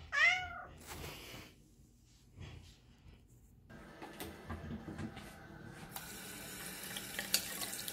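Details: Simba, a male tabby cat, in a home bathroom, jumping onto the sink during handwashing: a single loud, clear meow that rises and falls opens the recording, then running tap water and splashing fill the rest.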